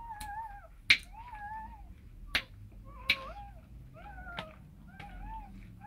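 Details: Rottweiler mother with her puppies; short, wavering, mid-pitched whines repeated every second or so, broken by sharp clicking knocks.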